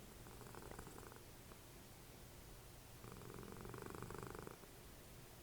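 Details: Dessie, a cuddly domestic cat and mother of Fritjof, snoring while cuddling as the TV plays: two rough, pulsing rumbles of about a second and a half each, separated by a quieter breath, in a small indoor room.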